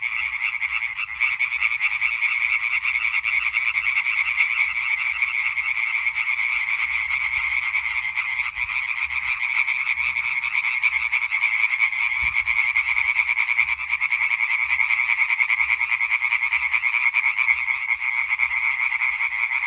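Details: European tree frog chorus recorded 20 May 2023, twenty seconds of relentless, evenly loud rattling croaks from numerous frogs, with a faint low thump partway through.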